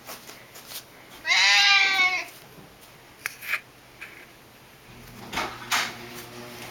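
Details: Nearly eleven-year-old pet Siamese cat indoors, excited at its owner's homecoming, gives one loud strained meow lasting under a second amid quiet thumps, rustling and faint household sounds.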